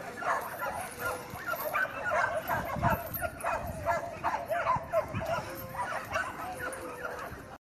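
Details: American Pit Bull Terriers in a yard in China, several dogs barking in rapid, irregular bursts with yips mixed in, overlapping voices throughout.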